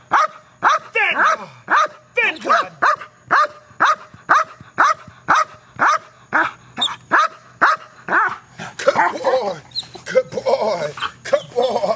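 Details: Male guard dog in KNPV-style protection training, barking aggressively at a box: rapid, regular loud barks about two per second, turning rougher and more overlapping toward the end, with a man's voice present.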